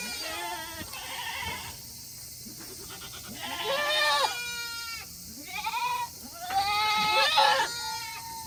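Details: Several Tokara goats at a farm in Himi, Japan, on a hot day in August 2021, calling to be let back into their shed after eating; repeated nasal, wavering bleats of varied pitch, growing louder toward the end.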